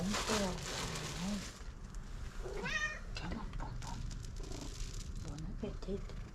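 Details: Stray street cat constantly asking for food; one arching meow mid-clip amid a woman's coaxing speech, music and background hum.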